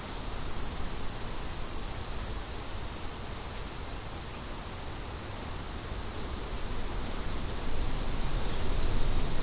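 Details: Crickets with wind, an even high trill persisting across the whole stretch while low wind noise swells louder toward the end.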